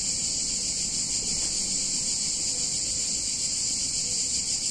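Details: Cicadas on a hot summer day in a picturesque Italian town: a dense, unbroken high-pitched buzzing chorus holds steady throughout, with no pauses, only a faint low rumble underneath.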